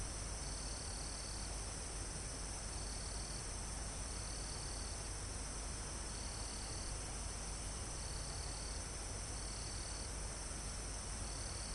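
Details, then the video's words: Crickets and other insects in a forest almost at the top of a mountain, recorded live: high trills about a second long repeat every one to two seconds over a steady high insect drone and constant wind hiss through foliage. "Calm Forest in Mountain With Crickets, Insects Sound"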